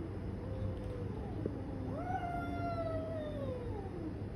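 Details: Domestic cats fighting: drawn-out, wailing yowls that rise sharply and then waver and slowly fall, overlapping over several seconds against a steady low background hum.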